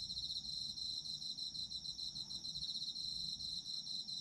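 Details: Japanese autumn insects for sleep ASMR: continuous bright, high trilling from several insects, rapid pulsed chirps stacked over a sustained ringing note, with faint low background noise.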